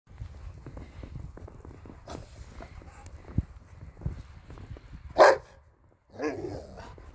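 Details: Rottweiler playing with a balloon in snow in Sweden gives a sharp single bark, then a rougher, longer bark, over soft rustling and bumping.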